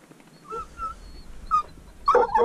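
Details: Treeing walker coonhound on a mink hunt alongside a dachshund: faint whines build to a burst of loud, harsh barks in the last half second, each with strong harmonics, over a low background rumble.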